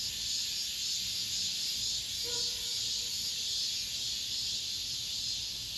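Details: Cicadas singing in an apartment complex as summer ends: a steady shrill buzzing chorus with faint pulsing, and a brief soft tonal sound partway through.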